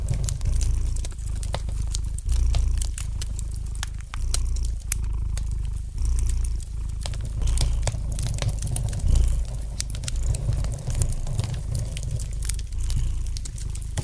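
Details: Cat purring contentedly near a crackling fireplace, a deep vibrating hum pulsing in breath-length waves roughly every one to two seconds, with scattered bright crackles and pops from the fire.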